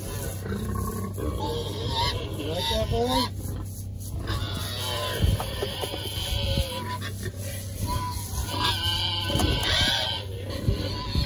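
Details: Berkshire pigs roll around squealing with joy while a man sprays them for external parasites ahead of winter. Bursts of high, stretched squeals come over a constant low hum and his speech.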